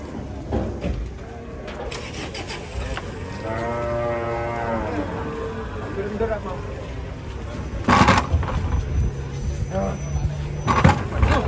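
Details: Cattle mooing: one long, low, drawn-out moo with a rich stack of harmonics that swells and fades over about two seconds, amid people talking, engine rumble and sharp clattering bursts toward the end.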